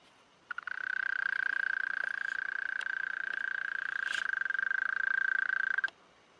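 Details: Mole cricket calling by rubbing its wings, recorded in close-up: a steady, low-pitched purring trill running unbroken for about five seconds.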